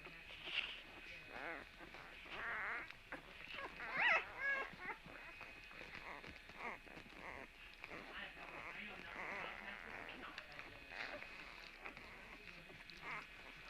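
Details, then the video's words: Puppies on Tuesday, March 17, make a busy run of short squeaky yelps and whimpers, roughly two a second, with a louder shrill squeal about four seconds in. "Puppy sounds"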